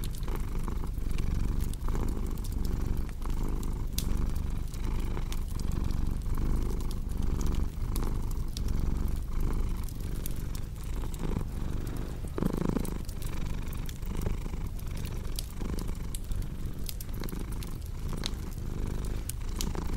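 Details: Cat's deep, continuous purr pulsing in breath cycles under frequent crackles and pops from a cozy fireplace; the rumble fades briefly midway while the fire keeps snapping.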